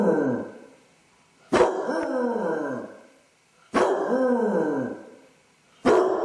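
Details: Alone at home, a Basset hound with separation anxiety keeps up mournful howls, each opening with a sharp onset then a long falling wail, repeated roughly every two seconds.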